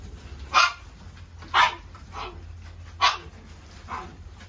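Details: Shih Tzu dog at a pet shop giving four short sharp barks about once a second, with a high steady whine in the background.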